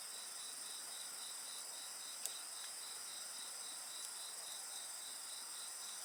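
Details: Short stretch of insect song near a campfire: evenly repeated high pulses sound over a continuous shrill background drone, interrupted once by a sharp crack from the fire.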